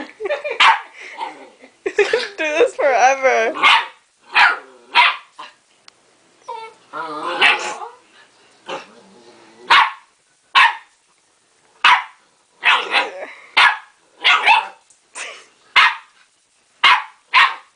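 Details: Dog called Baby barks at himself in a mirror, thinking he faces another dog; human voice over early yelps and whines, then a steady run of short loud barks, one roughly every second.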